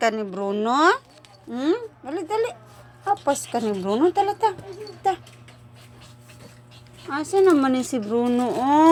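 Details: A dog crying in drawn-out, wavering whines that swoop up and down, several short bursts over the first five seconds, a quiet pause, then a longer quavering wail at the end over a low steady hum.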